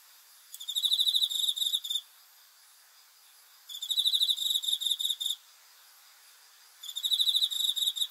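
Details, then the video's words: Cricket chirping at night, a sound offered as a sleep aid: bursts of rapid high pulsed chirps around 1.5 seconds long, separated by pauses of about 2 seconds, over a quiet background. "귀뚜라미 소리 풀벌레 울음소리 수면 도움 자연의 소리 야간 곤충 우는 소리 잠오는 소리"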